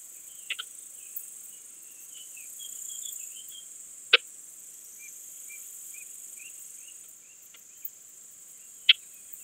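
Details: Balkan Speckled Bush-cricket from Vela Ucka, Croatia, 10 July 2022, heard through a Pettersson D 100 ultrasound detector: a few crisp ticks early, then single loud clicks about four to five seconds apart, with soft chirping traces and constant high detector hiss.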